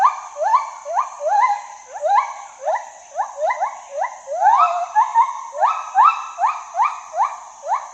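A gibbon gives a fast series of loud, hooting whoops, each sliding sharply upward in pitch. The notes tumble over one another in an excited, repeated rhythm, with a faint steady hiss behind.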